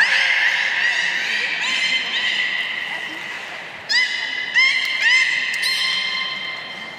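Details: Belugas Gray, Nana and Nico in captivity at Port of Nagoya Public Aquarium, Japan, training on New Year's Day 2019; a sustained buzzy, harmonic tone followed by a run of short upward-swooping chirps in quick succession.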